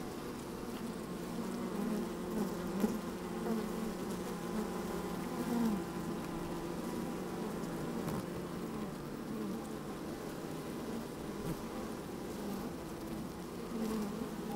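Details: Inside a hive opened on a sunny day, honey bees busy at work produce an even, layered humming drone, with a few small clicks and a slightly louder buzz around the middle; light wind.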